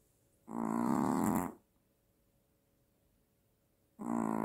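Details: A Maltese dog, suspected of sleep apnea, snores with loud, raspy, throaty bursts about three seconds apart, quiet between, louder than a man's snoring; it wakes startled mid-snore.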